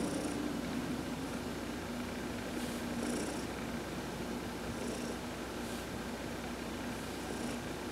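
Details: Heidi, one of two adopted cats, purring under massage in the sun on November 19, 2020. A low, unbroken rumble continues steadily, with faint high tonal blips recurring every couple of seconds.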